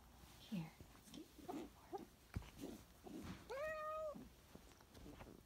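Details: Bluepoint Balinese cat playing with a catnip toy indoors in a bedroom, its Siamese sister nearby; one clear drawn-out meow, steady then falling, near the middle, amid soft human murmurs and rustling.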